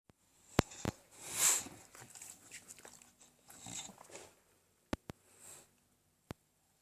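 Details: An English Bulldog named Enzo lets out a short, breathy burp after a nice meal, followed by snuffling and faint chewing noises indoors. English Bulldog.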